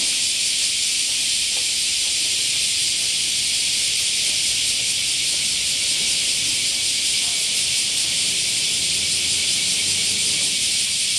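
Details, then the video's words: Cicadas in chorus in summer: a dense, continuous high-pitched hiss that stays steady and unbroken throughout, with no separate calls standing out and only faint low background sounds beneath. "Cicada Chorus"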